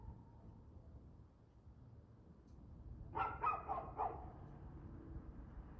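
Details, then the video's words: Evening of 2/6/2024, 6:02pm, a dog's barking: near-silence, then a sudden quick burst of four barks within about a second, fading back to faint background. "Barking Dog"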